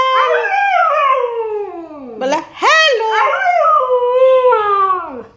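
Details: Pet husky 'talking' to its owner, answering requests to say hello: long, descending howl-like moans with rich harmonics, a brief break, then a sharp rising yelp and another drawn-out falling wail.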